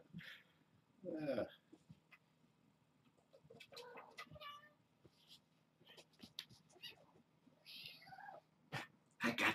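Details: Hungry kittens at Purrfect Pals, born to Janine, a stray from the Tulalip, WA area, play rambunctiously one morning before breakfast. Two short meows with stacked harmonics, one near the start and one midway, sound under a man's talk and light clattering.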